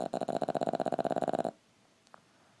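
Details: A Boston Terrier foster dog, Sara, snores with a fast, fluttering rattle that stops abruptly after a second and a half.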